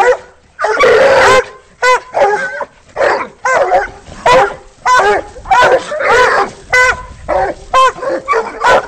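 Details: Several Walker Coonhounds treeing a raccoon held in a rolling cage; loud, ringing, harmonic-rich bawls and chops from multiple dogs overlap, repeated roughly every second, with some rising and falling drawn-out howls.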